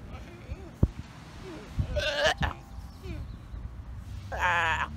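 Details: Sea lion father scolding his hungry pup for interrupting his nap, Galapagos Islands: two rough bleats, the second a longer quavering cry near the end, amid scattered clicks, thumps and soft background noise.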